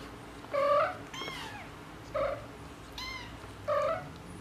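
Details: Mother tabby cat calling to her kittens with a quick run of short chirpy meows, some rising and some falling, about four in four seconds, indoors with low hum.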